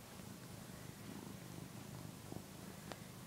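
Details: One-year-old male house cat purring while nursing on the soft fabric of a housecoat, a behaviour thought to come from early separation from his mother; steady low rumbling purr with a few faint clicks.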